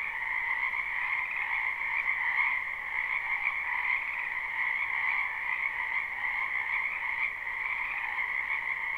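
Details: Many frogs calling in a spring wetland behind a house, recorded live without looping; a dense, unbroken chorus of trilling croaks forms two steady bands, a lower buzzing layer under a brighter, higher shimmer, with no other sounds.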